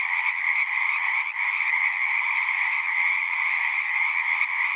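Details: A continuous chorus of singing frogs, many callers blending into an even, buzzy wall of trilling at two stacked pitches, steady in loudness throughout with one brief dip.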